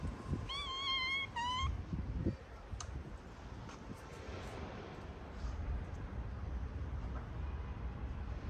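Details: Stray cat in a small park crowded with playful strays, some of them sick and sneezing: two drawn-out, even meows in quick succession near the start, then a soft outdoor hum with a few faint clicks.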